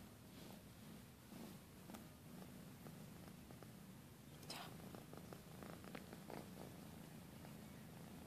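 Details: A British Shorthair kitten wrestles and plays with penguin and mouse toys, purring in a steady low rumble amid light knocks and scuffs from play.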